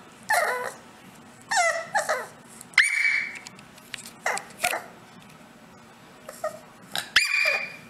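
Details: A pet dog gives high whines and sharp yelps in short bursts, several within eight seconds. A person speaks quietly nearby.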